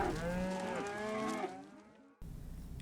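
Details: Cow lowing in one long, loud, harmonic moo that falls and fades over about two seconds, followed by a short low rumble.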